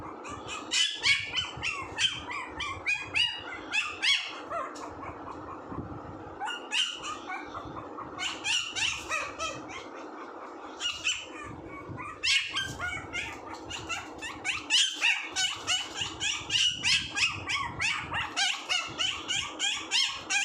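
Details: Puppies squealing and yipping almost nonstop, short high-pitched squeaks crowding over one another in busy bursts separated by brief lulls.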